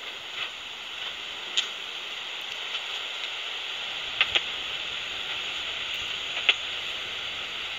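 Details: In south-east Wales, a speckled bush-cricket, probably hidden up in a tree or undergrowth, calls; heard through a bat detector as sparse, sharp ticks over a steady hiss.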